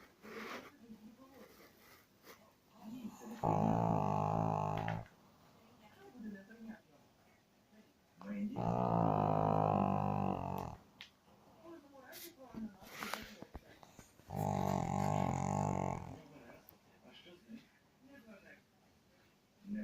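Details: Sleeping dog snoring in a small room: three rasping, harmonic snores, each about one and a half seconds long, returning roughly every five seconds, with faint clicks and shuffling between breaths.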